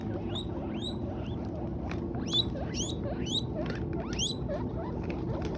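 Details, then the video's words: Guinea pigs eating hay give repeated sharp upward-sweeping squeaks, several per second, alongside soft lower chirps, over a constant low background rumble. "Best Guinea Pigs Sounds Making Noise While Eating Hay"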